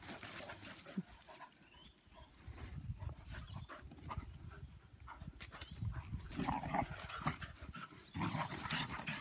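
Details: German Pinscher females romping together in a yard, giving rough low growls and snarls in uneven bursts, broken by brief quieter gaps and scuffling noise.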